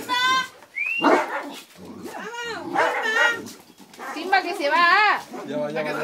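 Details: Two dogs, a St. Bernard and a Yorkshire Terrier named Simba and Romeo, scuffling playfully with a toy; high, arching whines and yips alternate with lower growly barks, and people's voices are heard in the background.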